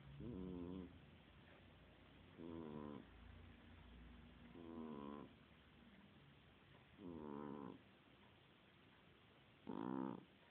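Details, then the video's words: Domestic cat snoring in its sleep. Five raspy breaths, each about half a second, come at slightly uneven gaps of two to three seconds. A faint low hum runs between them. "gato roncando"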